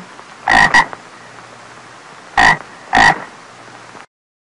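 A frog gives short, hoarse croaks, a paired burst, then two more a couple of seconds later.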